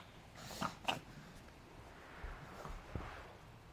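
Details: Adina, a five-month-old female pug puppy, reverse sneezing after suddenly running around wildly, around 4pm on May 9, 2012; two sharp, harsh snorting bursts come in quick succession early on, followed by fainter, quieter snuffles.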